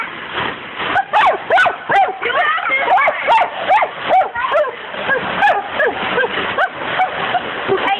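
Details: Dachshund Buddy, a family pet, barks at a window sprayed with hose water while licking and trying to bite through it; rapid, fairly regular barks about two to three per second, mixed with laughter, voices and splashing water.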